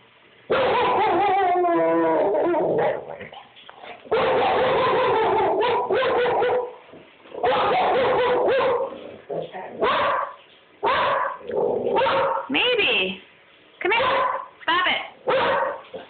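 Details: Maeby, a house dog reacting to something she sees outside the window, lets out a wavering whine followed by bursts of barking, yips and whimpering noises in irregular bouts over sixteen seconds.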